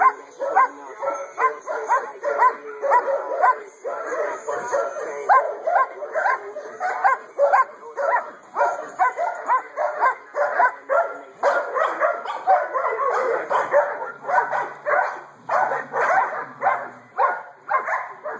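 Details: Two-year-old female black and tan German Shepherd, AKC registered, barking in rapid, irregular bursts of short harsh barks, roughly two per second, continuing steadily throughout with little pause.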